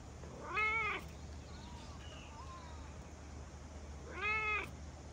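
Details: A big fluffy cat with a large head meowing loudly as it approaches after rain, recorded in Japan; two clear harmonic meows about four seconds apart with faint softer calls between and a low steady background hum.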